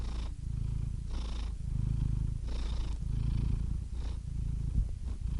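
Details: Soothing purr of a cat: a rich low vibrating rumble pulsing with each breath, about one cycle per second, with breathy hiss on the inhalations.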